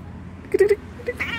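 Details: Snelly, an orange female house cat described as quick to get feisty, gives a short clipped meow broken into three rapid pulses, then a fainter chirp, with a person talking nearby.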